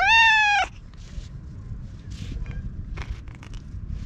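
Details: Stray orange tabby cat speaking in cat language as it rubs against a person and is groomed with a brush, recorded on a GoPro HERO8: one loud, bright meow lasting over half a second, then a low rumbling background with scattered soft rustles and taps.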